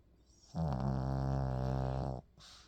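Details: Pomeranian dog Bbori, a family pet, snores while sleeping: one long, low, rattling buzzy snore lasting about a second and a half, followed by a brief soft hiss.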